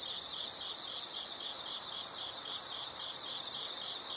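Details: Faint insects chirp in short pulsed groups of high notes, repeated twice, over a constant hissy natural background.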